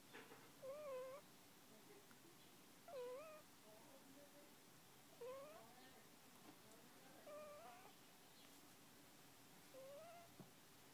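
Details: Sleeping puppy, one month old, snoring with faint nasal whistles: five wavering squeaks roughly every two and a half seconds, each with a brief rising tail, against low room noise.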